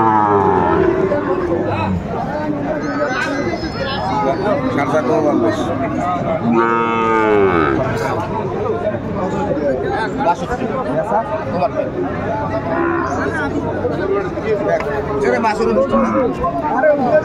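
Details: Sahiwal bull calves around seven to eight months old at a cattle market in Sylhet, Bangladesh, 11 January 2025: one clear arching moo about halfway through, fainter lowing elsewhere, and bargaining voices and crowd noise.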